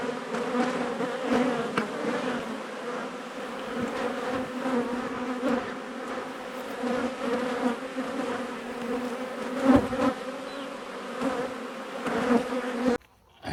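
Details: Honey bees disturbed during a cutout from an 1850 home they had occupied for two years; continuous thick droning hum of the swarm throughout, broken by a few sharp clicks and a sudden stop at the end.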